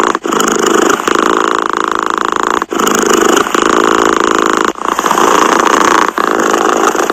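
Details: Domestic cat purring continuously, a dense rattling hum in long phases of roughly one to two seconds, separated by short dips where the cat draws breath.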